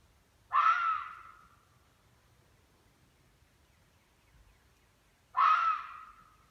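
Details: Two harsh, raspy red fox screams, each about a second long and roughly five seconds apart, in northern Michigan; the recordist believes it is a hunting call that scares prey into revealing itself.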